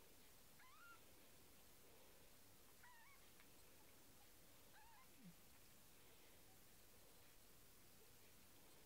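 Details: Kittens, indoors with the mother cat back from eating: three thin, quiet mews, each rising then falling, spaced about two seconds apart over a steady soft room hiss.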